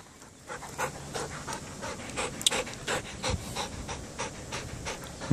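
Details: Panting Belgian Malinois, the herding breed also used in police and protection work: steady breathy puffs repeating roughly three times a second, fairly even in loudness, over a low background hum.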